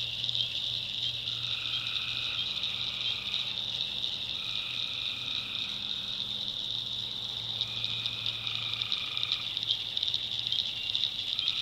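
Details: Night swamp chorus of tree frogs in North Carolina's backwoods. Drawn-out trilled notes start and stop in overlapping turns against an unbroken shrill wall of calling, with soft low droning underneath.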